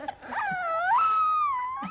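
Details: Newborn bulldog puppy howling indoors: one drawn-out tonal wail that rises, holds steady, then sags slightly, with clear stacked overtones and a brief voice-like onset.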